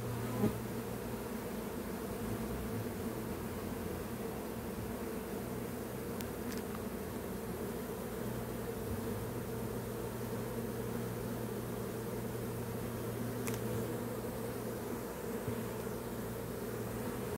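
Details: A honey bee swarm, collected from a privet hedge in Berkshire, UK, on the afternoon of 14 June 2021, walks into a hive box, filling the air with a steady, low drone of many wings.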